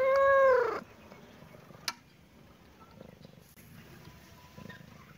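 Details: Kitten or cat playing in a happy mood gives one loud, clear meow with a falling, arched pitch and rich harmonics in the first second, then near silence with a single sharp click.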